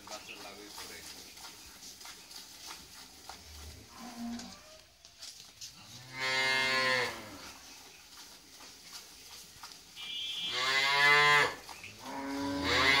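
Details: Friesian cow, mother of a newborn heifer calf after her second calving; two rich, harmonic moos about a second long each, several seconds apart, with quieter murmurs and room noise between.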